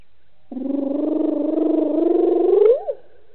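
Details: A lone hyena at a waterhole dam in Djuma Game Reserve, Sabi Sand, South Africa, calling after drinking at 18:57 on 09/10/18, a low, drawn-out, throbbing moan ending in a brief upward sweep; hyena.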